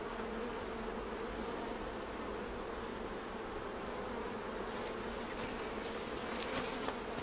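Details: Beekeeping honey harvest: massed honey bees drone in an even, unbroken hum, with scattered sharp clicks and ticks appearing in the later seconds.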